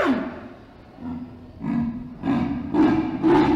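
An Indian leopard gives a series of four deep, harsh rasps, like a saw through wood. They grow louder and come faster, about every half second by the end.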